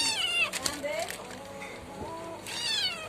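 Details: A cat that keeps biting while a person tries to hold its ears gives two loud, high, falling, strongly harmonic meows, one at the start and one at the end, with a person talking in Bengali between them.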